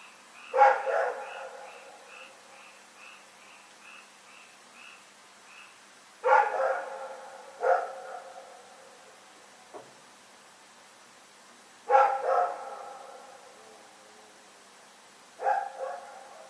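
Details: Recorded February 27, 2018, Rex the dog barking in the night: loud harmonic barks in pairs and singles with pauses of several seconds, a brief high chirping early on, then quieter background.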